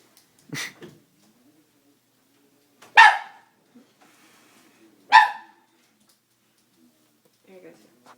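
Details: Doberman frightened by a prank, barking sparsely: a short yelp, then two loud, harsh barks roughly two seconds apart, with long quiet gaps and faint soft noises between.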